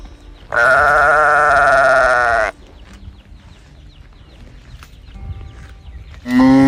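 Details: Calf calling out for its mother: a loud, bright, bleating cry holding steady for about two seconds, then a quiet gap with faint farm background before a second cry begins at the end.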